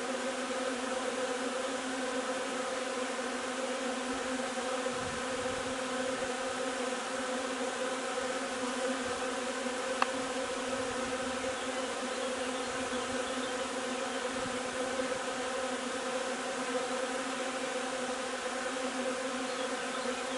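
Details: Steady droning hum of a honey bee hive gathering linden nectar on 3 June, with soft low thumps and one sharp click near the middle.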